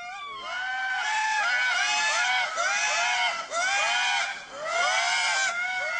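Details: In Madagascar's early-morning forest, Indris give a loud, wailing alarm chorus of swooping, rising-and-falling cries, probably warning of a predator such as hawks or fossa, not alarmed by the nearby observers.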